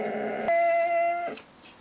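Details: Vizsla (dog) (Canis lupus familiaris), whine: eagerness to get at a rabbit.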